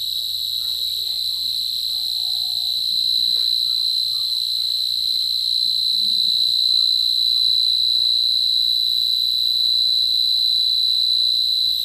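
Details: Cricket, called ঝিঝি পোকা locally, giving a steady, high, shrill ringing trill that runs without pause, with faint overtones above it and only a low background hum.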